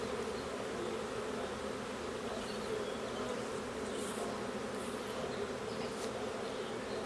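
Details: A honey bee swarm caught from a tree branch in April is being boxed. Many wings make a dense, steady, low hum, and a donkey hollers in the background.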